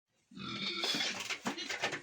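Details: Ten-day-old piglets on a pig farm in Tripura; a harsh, high-pitched squeal rises after a short silence and carries on in rough, uneven pulses, with a noisy room around them.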